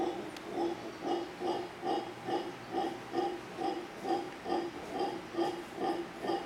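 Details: Howler monkeys, a family settled in large trees opposite a hotel in Manzanillo, Costa Rica, calling in steady deep, hoarse grunting pulses, about two each second, in an even rhythm.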